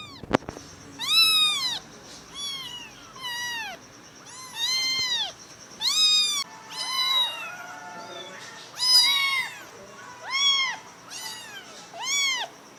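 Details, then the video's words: Several kittens adopted with their mother calling in quick succession: many short arched high mews, often overlapping, nearly continuous, after an opening tap, with a faint steady tone underneath. "kittens#cute#puspins little big noises"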